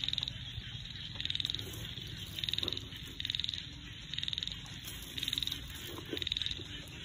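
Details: Small frogs calling in a rural rice field, filmed in the countryside: short, high, rattling pulsed bursts about once a second, seven in all, over a low steady rumble.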